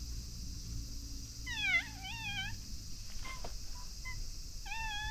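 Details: Called from its hiding place under a bridge, a cat approaches to be stroked, uttering wavering, rising-and-falling meows, a couple of brief soft chirps, then another long meow, with low background hum throughout.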